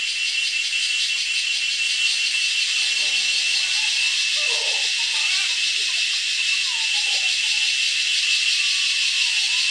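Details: Continuous shrill, finely pulsed drone of a male cicada holds steady throughout, with faint lower sliding tones, possibly distant voices or birds, drifting in beneath it.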